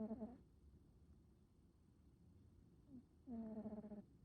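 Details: Uni, a male black smoke American Shorthair house cat, snoring while asleep indoors: two short nasal, harmonic snore sounds about three seconds apart, with soft low breathing noise between them.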